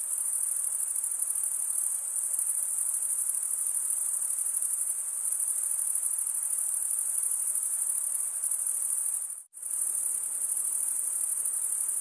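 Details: Continuous high, ringing cricket chorus of males stridulating, wing scraped over a comb-like toothed vein; the even trill drops out for a split second near the end, then resumes unchanged.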